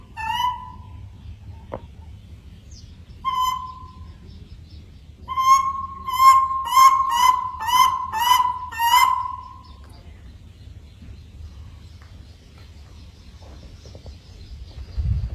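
A monkey gives clear, hooting calls, ending in a quick run of rising-and-falling whoops.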